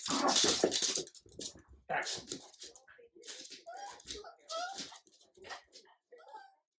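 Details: Indoor play between an adult Jack Russell terrier and a French bulldog puppy as the terrier shows the puppy who is leader; short high whiny yelps and squeals in bursts, with sharp scuffling noises and a person's voice talking.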